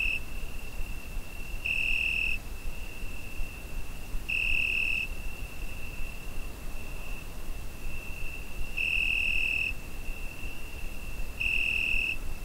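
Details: A summer-night cricket, recorded on a Zoom H5, sustains a piercing steady tone punctuated by four louder swells spaced unevenly, with a longer quiet gap in the middle, over gentle low background noise.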